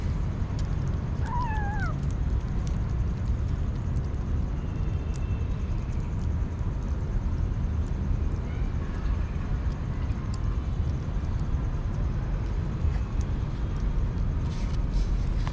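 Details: Hungry street kitten giving a single clear, falling meow early on, then only faint traces of further mewing over a steady, heavy low rumble with scattered clicks.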